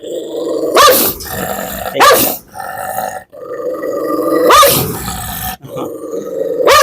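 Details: Leashed biting dog, aged 8 to 9 years with slightly dimmed vision, keeps up a steady low growl punctuated by four sharp snapping barks spaced one to two and a half seconds apart.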